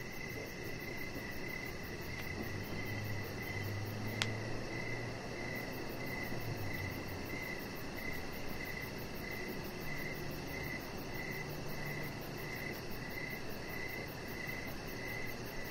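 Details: Outdoor evening crickets by a deck: regular mid-pitched chirps in a steady series, a thin high pulsing trill, a sharp click near four seconds and a low rumble early on, over broad hiss.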